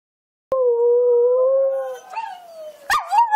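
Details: A dingo-kelpie cross dog howls at a YouTube video of other dogs. It gives a long, steady, mid-pitched howl that wavers and rises near the end.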